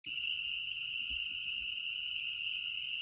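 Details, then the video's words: Spring peeper frogs calling during the spring mating season, June 2007, Newfane Hill, Vermont: a dense, unbroken, high-pitched jingling chorus of many peeps blending into one steady shrill tone, with faint low thumps beneath. "PEEPERS: A Million Jingle Bells"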